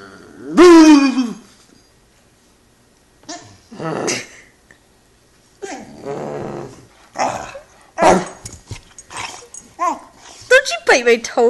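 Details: An 11-week-old Great Dane puppy throws a tantrum after being made to get onto a couch by himself, giving drawn-out whining yelps and growly barks in separate bursts with short silent pauses between them.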